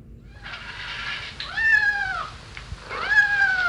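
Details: Domestic kitten meowing on a farm: two drawn-out, slightly arching meows, the second starting after a short pause, with a faint softer vocal lead-in at the start.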